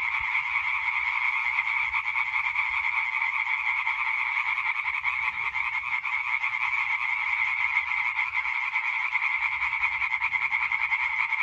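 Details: Singing chorus of European tree frogs on 20 May 2023, many males producing fast, overlapping rasping croaks in an even, continuous din, accompanied by faint low background rumble.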